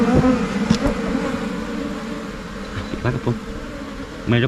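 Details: Asian honey bee (Thai cavity bee) colony in Thailand, swarming and moving into a new hive box: a steady low droning hum of many wings throughout, with faint clicks and a short burst of a man's voice near the end.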